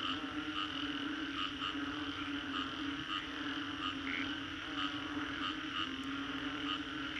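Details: Green Corridor, Singapore, after a storm: frogs fill the air with a continuous chorus, short bright notes pulsing about twice a second, a higher clear note standing out around four seconds, steady background drone.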